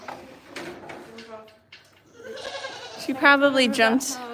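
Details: Goat at The Willful Goat Farm & Home giving a loud, wavering bleat near the end, after quieter human talk in the first half.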